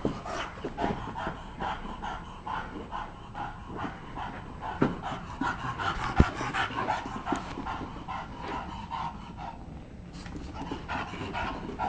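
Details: Playing bulldog indoors in a basement, steady fast panting pulses over twelve seconds, scattered clicks and one sharp tap near the middle.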